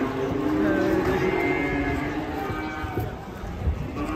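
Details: Cattle in a compilation of funny cows in Indonesia, lowing with a drawn-out moo over busy background noise, with people talking nearby.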